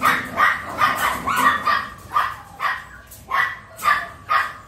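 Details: Miniature Pinscher puppy, just learning to eat, in An Giang, Vietnam, giving quick high yappy barks, about two a second in uneven bursts.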